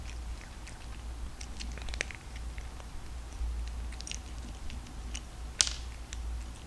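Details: Domestic cat crunching dry kibble, eating restlessly; irregular sharp crisp crackles and bites scattered across the clip, one louder crunch near the end, over a steady low indoor hum.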